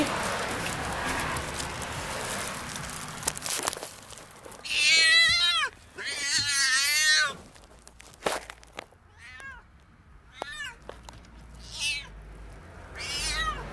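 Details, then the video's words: Domestic cat giving birth to her kittens; several loud, drawn-out wavering meows in quick succession, then shorter sharp mews spaced a second or two apart, with rustling handling noise and a brief human voice. "My cat was giving birth to her kittens."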